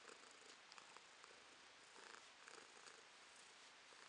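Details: House cat purring in May 2022, a soft continuous rasping drone with slight rhythmic swells and small bursts of texture, nothing else audible.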